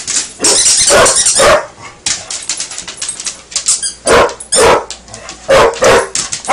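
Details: A Basset Hound, playing with a toy alligator, gives loud, full-throated barks in short bursts, often two close together, then brief pauses, with a person's voice faintly heard between them.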